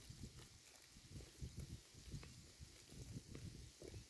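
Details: A herd of cows grazing on pasture grass: soft, irregular low crunching and tearing bites, several each second, over a faint steady hiss.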